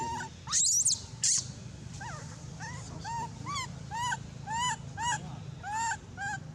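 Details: Abandoned monkey crying loudly. Two harsh, piercing screams open the clip, then a steady series of arched, whistled whimpers, about two per second, each rising and falling.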